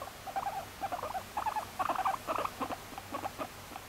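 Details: Female pet guinea pig Moru-chan, taken in at eighteen months in May 2019, utters quick bursts of clipped mid-pitched chuts, grouped in uneven runs with brief gaps, in a quiet indoor room.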